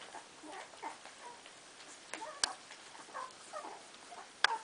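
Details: Cardigan Welsh Corgi puppies, 15 days old, from a litter, chasing a milk bar: soft, short, mid-pitched whimpers and squeaks, several overlapping and irregular, with two sharp clicks standing out.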